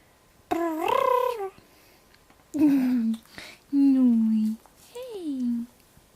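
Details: Indoor pet dog giving its odd howling noises, a series of four moaning tonal wails, each sliding downward in pitch, with short pauses between them.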